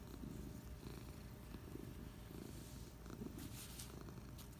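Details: A cat named Patches rests on a couch on a Friday afternoon, purring in an even, low throb that never pauses, with light scratchy sounds near the end.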